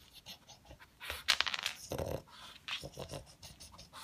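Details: Pet pug indoors snuffling for leftover food pellets, sounding like a noisy vacuum cleaner: rapid bursts of breathy, hissing sniffs and snorts, with a louder cluster of sharp snorts near the middle.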